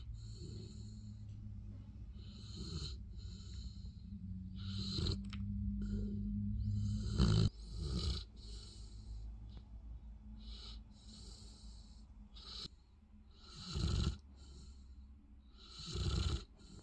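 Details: Olly, a Bernese Mountain Dog, sleeps after his morning trip to the park and snores with rough, breathy bursts that repeat irregularly over a low rumble. A faint steady hum runs underneath.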